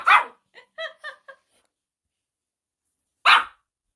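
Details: Pet dog reacting when its owner pretends to go for a walk but stays home: a sharp, loud bark, then a quick string of short whiny yelps, and a second sharp bark about three seconds after the first, in a quiet room.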